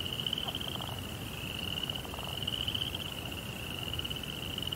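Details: Night-time crickets in a Japanese Zen garden with a koi pond, trilling in a continuous high pulsed stream that barely pauses, with soft low rumble beneath and brief faint mid-pitched ticks.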